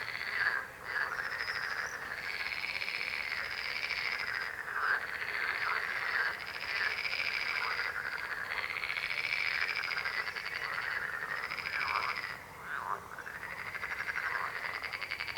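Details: Dense frog chorus with continuous overlapping croaks: buzzy, pulsed trills that rise and dip slightly in pitch, forming an unbroken din for about fifteen seconds, with short dips in loudness.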